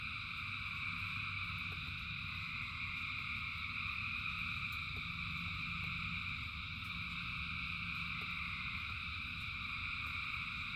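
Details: Rain-soaked frog chorus of thousands of callers, a steady ringing high drone that barely varies for ten seconds, backed by low rumbling rain and sparse ticking drops.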